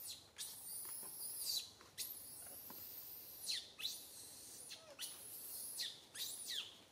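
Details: Little monkey Santo screaming loudly on a tree branch, mother Sara unable to care for him; piercing, very high screeches repeat roughly every second, each dropping sharply in pitch at its end.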